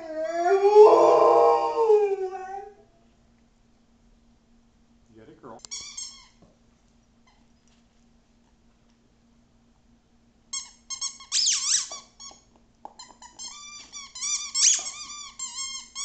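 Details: Nala, a female Rhodesian Ridgeback, howls indoors while playing with her squeaky toy: one loud, wavering, arched howl lasting about two seconds, then near silence, followed by bursts of high, harmonic squeaks from the toy.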